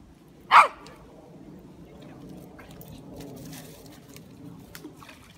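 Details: Female Jack Russell Terrier at a fast-flowing river, searching the water for something she is after; one sharp, loud bark early on, then steady rushing water with faint splashes.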